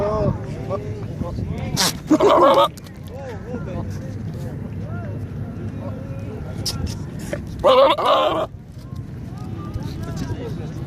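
A goat gives two loud, wavering bleats a few seconds apart over steady background talking.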